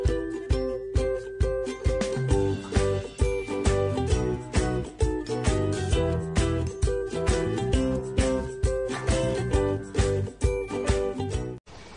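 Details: Upbeat children's-style music with tinkling jingle bells and a steady bouncing beat, repeated notes throughout, ending abruptly; no animal voice can be picked out.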